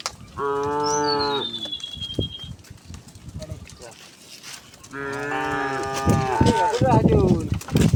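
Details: Dozens of tame cows walking along a quiet country road give long, harmonic moos lasting about a second, first near the start and again from five seconds, louder and overlapping later, with a thin descending bird whistle and scuffling footsteps.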